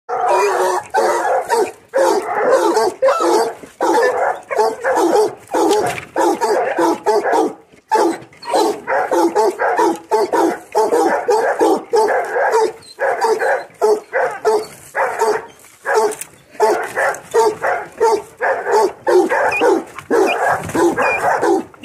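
A Basset Bleu de Gascogne gives loud, steady baying barks, over a hundred a minute, holding a wild boar at bay.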